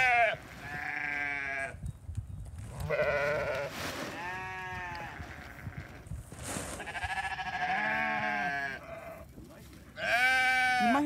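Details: Flock of sheep being fed hay, a hungry young ram lamb among seven lambs; repeated overlapping bleats, some high and shaky, others lower and longer, almost continuous, with rustling hay and brief human voice.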